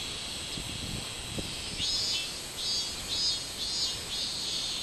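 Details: Robust cicada, 24 July 2016. A few soft thumps open the recording, then a loud, pulsing buzz swells in rhythmic bursts about twice per second against a continuous high cicada chorus.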